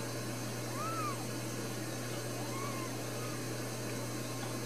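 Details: Two soft, arching mews from newborn Ragdoll kittens, four brand-new babies raised in a central Kansas home without cages, over a steady background hum.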